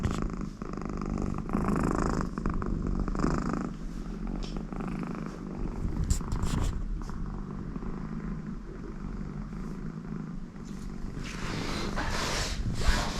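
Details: American Shorthair cat named Connie, very content with her owner beside her, purring steadily in low rumbling pulses about three times a second, with occasional soft nasal snore-like sounds and light rustling.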